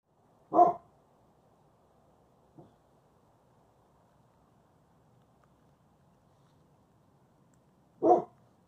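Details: German Shepherd Husky mix puppy named Covi, tired and indoors, having his nose booped for the first time; two short single barks about seven seconds apart with a faint soft sound between, otherwise quiet room.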